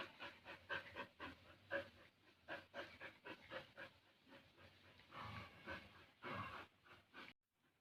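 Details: Two Bali dogs, Jamet and Airbus, one small and one big, playing together; quick rhythmic breathy panting bursts about once per second, then longer rougher breaths before an abrupt stop.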